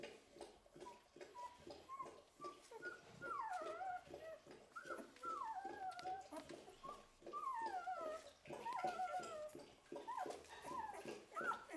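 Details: Litter of eleven-day-old Golden Retriever puppies indoors, soft short squeaks building into louder drawn-out whines that slide downward, several overlapping, repeated every second or two with brief quiet gaps between.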